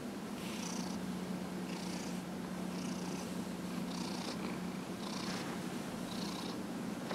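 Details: During a massage on January 31, 2018, 15-and-a-half-year-old cat Dillard keeps up a low droning purr while regular swishing strokes, about one per second, sweep over his fur.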